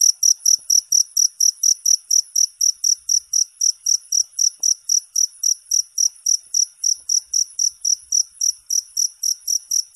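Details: Continuous high-pitched cricket chirps, rapid and evenly timed at around four pulses per second, keeping a steady rhythm for the whole stretch with a quiet background.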